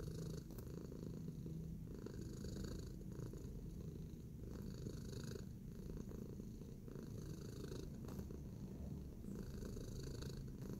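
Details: Pet cat Tacy, relaxed and kneading, gives an unbroken deep purr, a constant low vibrating hum with faint brushing and clicking sounds scattered over it.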